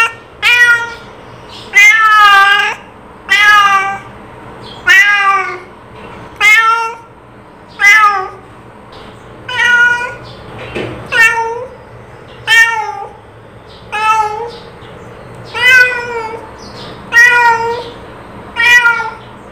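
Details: Domestic cat giving calling meows, a series of harmonic, slightly arching mews repeated roughly every one and a half seconds, twelve in all, indoors with a faint steady hum behind.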